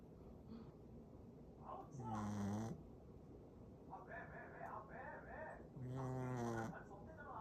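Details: Sleeping Shih Tzu snoring, said to get louder the more tired it is: two drawn-out, buzzy, nasal snores about four seconds apart, with quiet voices talking in between.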